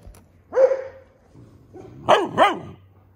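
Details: A Dobermann puppy gives a drawn-out yelping bark, then two quick, high, sharp barks, apparently barking at something it heard.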